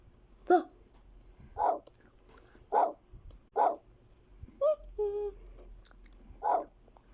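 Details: German Shepherd puppy indoors giving about seven short, high yelping barks spaced roughly a second apart, each a brief bright burst, with a quieter drawn-out whine near the middle and a person speaking softly around it.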